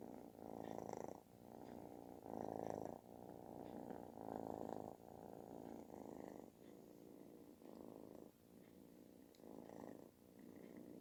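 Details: Affection-seeking kitten with a booming, snore-like purr; steady buzzing rumble rising and falling in breath cycles, about six swells in eleven seconds.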